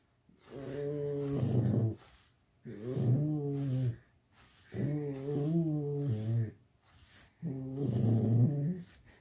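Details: Alice, a pet red fox kept indoors, growling at home: four drawn-out, low, harmonic growls of about one and a half seconds each, slightly wavering in pitch, spaced roughly two and a half seconds apart in a quiet room.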